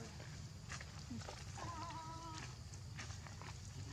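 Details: Baby macaque Leo, hungry and crying to beg milk from its mother: one drawn-out, tonal, slightly wavering whine lasting under a second, over a steady low rumble with faint background voices.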